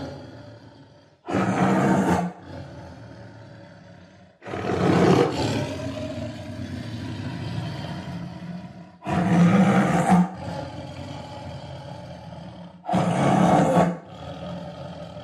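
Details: Tiger roaring four times, each a loud, rough burst of roughly one second, spaced about three to four seconds apart, with quieter growly noise in the gaps.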